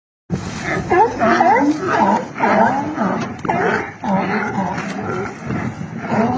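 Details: Sea lions at Isla de Alcatraz in Bahía de Kino, Sonora, Mexico, giving a loud chorus of hoarse, harmonic barks, overlapping and repeated roughly twice a second throughout, with a steady hiss behind them.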